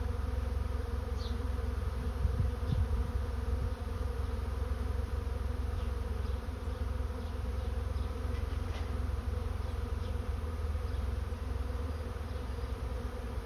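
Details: A swarm of honey bees entering a swarm trap makes a steady, thick droning hum, low and unbroken, with a few brief higher-pitched fly-by buzzes near the start and middle.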